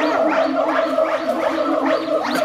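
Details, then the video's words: Howler monkeys at Twycross Zoo, UK, give a very loud, continuous, rasping roar with wavering, rising and falling tones. "Howler Monkeys Howling At Twycross Zoo In UK - Amazing Sounds"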